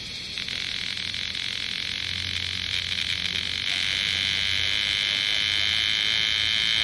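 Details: A strident, steady high buzz of bear cicadas in Osaka city, summer 2010, swelling a little in volume, accompanied by a low intermittent droning hum in the background.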